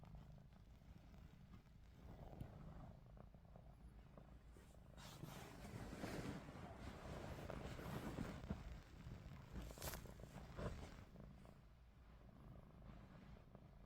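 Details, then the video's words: Ruby, a pet cat, snoring with her eyes open: a soft, low continuous rumble with slow breathy swells that peak midway, and faint clicks and rustles on top. "루비 눈 뜨고 코골이"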